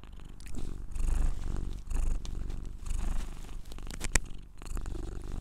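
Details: A Scottish Straight cat purrs in a deep, unbroken drone beneath loud rustling and movement noise, with one sharp click near the end.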